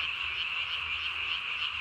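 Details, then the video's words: Japanese tree frog at night, recorded 3 May 2020, throat sac puffed up as large as its body; a continuous, buzzing high chorus without distinct pulses, steady in loudness throughout. "밤에 우는 청개구리 울음판이 몸통 만큼 크네요?"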